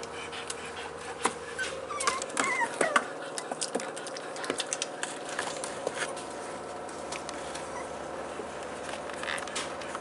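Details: Staffordshire Bull Terrier puppies, four weeks old, from a litter filmed on 19 March 2020; a short burst of thin, high, wavering squeaks and whines partway through, surrounded by light scratching, tapping and patter indoors.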